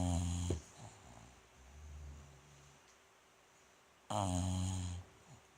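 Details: Sleeping bulldog Rikyu, housemate of Fukumaru, dozing indoors on 29 November 2016: two loud, rumbling snores about four seconds apart, the second lasting nearly a second, separated by softer wheezy breaths.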